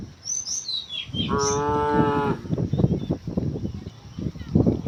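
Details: Cattle herd walking toward wide green fields on a morning; a single steady moo of about one second follows brief bird chirps, then footsteps and shuffling noises.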